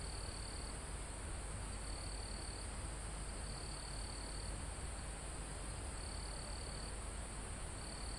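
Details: Crickets and other insects in a calm forest almost at the top of a mountain, recorded live; high, thin trilled bursts, each under a second, repeat about every second over a steady rush of wind through foliage and trees.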